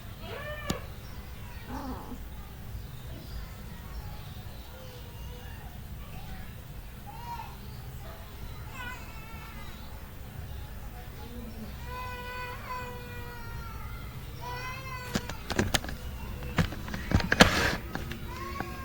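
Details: Mother cat with her kittens: many short, high-pitched mews with rising-falling arcs, scattered and overlapping, growing busier toward the end, where loud clicks and knocks break in.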